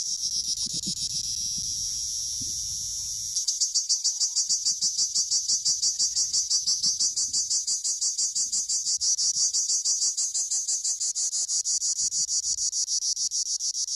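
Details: Cricket recorded while Honamlı goats were being herded: a high, shrill pulsed chirping starts after a few seconds of low rumbling, then runs steadily at about three pulses per second.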